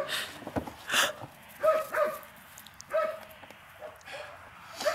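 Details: Eight-week-old puppies from a litter of two males and two females, playing: short, high yips and squeaky barks come in bursts about once a second, with scuffling between them.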